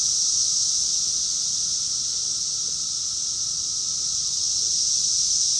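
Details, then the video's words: Cicadas in chorus, Rockville, Maryland, USA, June 2021; a continuous shrill, even drone fills the air without pause, many insects blending into one steady sizzling wall of sound. "Cicadas song || Cicada's chorus song"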